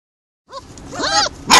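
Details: Stray mixed-breed puppies at a construction site, yelling and asking for food: after a short silence, a few high, arching whines, then a louder burst of overlapping squeals near the end.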